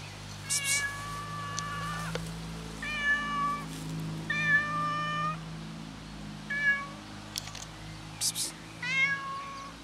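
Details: A hungry cat sits waiting for its owner and meows repeatedly, about six clear harmonic cries spaced a second or two apart. Some are short and some drawn out, interspersed with brief scratchy rustles and a steady low hum.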